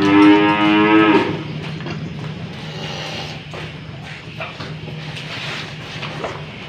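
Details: Loud, full moo from an old cow handled for nose-rope fitting, opening the recording and stopping after about a second, followed by a steady low hum and scattered knocks.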